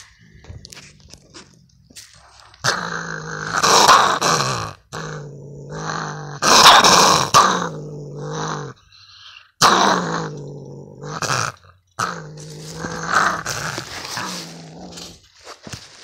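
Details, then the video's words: Gray fox near a lake with a strange broken voice: long hoarse, raspy growling calls, each several seconds long with a low buzzy tone, broken by brief silent gaps. "This fox has trouble talking. Broken voice box?"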